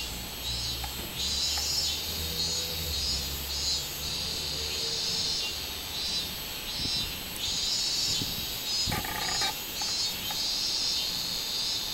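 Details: Robust cicada, 24 July 2016, droning in waves of high pulsing buzz. A low hum runs under the first seconds, with a few sharp clicks and brief chirps scattered through the later part.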